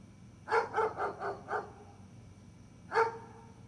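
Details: Gunner the dog lets out a rapid string of five barks, pauses briefly, then adds one final loud bark, with a faint steady hum underneath.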